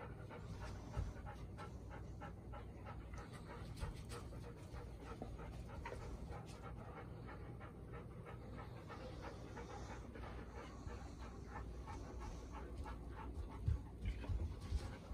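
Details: Golden Retriever Bis, Ibuki's daughter, aged four, the day after her first meeting with Ibuki and Kohaku in September 2021, nervously watching her new owner; fast panting at about ninety breaths a minute, slightly uneven, with faint knocking near the end.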